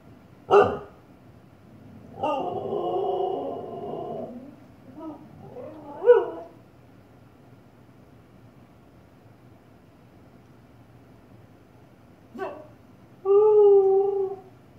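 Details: Female Husky named Bella confronting her reflection in a fireplace at home. Sharp isolated barks, a sustained wobbling howl, short grumbling yips, then a quiet gap before a final bark and a steady, clear, drawn-out howl.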